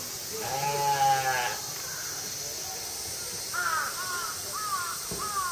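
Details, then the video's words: Female mouflon calling all at once at Tama Zoo in Japan on a summer night in August 2012; one long, quavering, harmonic bleat, a pause, then a series of shorter overlapping calls against a constant hum. "鳴くムフロン（雌）Mouflon Cry"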